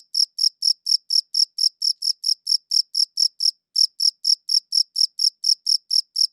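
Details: One cricket, recorded with a quality recorder, chirps rhythmically at roughly three to four per second. High, sharp pulses repeat evenly, with a single short pause midway, and there is no other sound.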